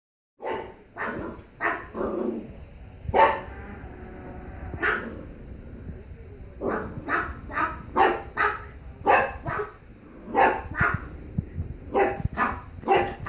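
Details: Angry puppy arguing with a person, giving a rapid series of sharp yappy barks and yelps in bursts, some short pauses between volleys, with a faint steady high hum in the room.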